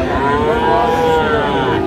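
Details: Bull calves of about six to seven months at Raniganj cattle market in Dinajpur, 1 December 2024; a steady, drawn-out low moo runs through the whole moment with background market noise.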